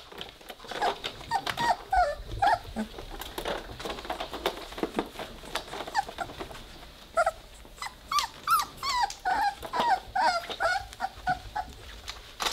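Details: Three-week-old Weimaraner puppies playing together indoors, giving scattered high squeaky whines and short yelping growls in irregular bursts, busiest in the second half, with soft knocks and rustles throughout.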